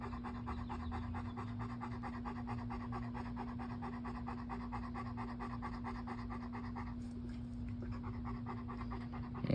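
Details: Bo the dog pants hard in Meridian, Idaho, ahead of a forecast thunderstorm: fast regular breathy pulses for about seven seconds, then easing off, over a steady low hum.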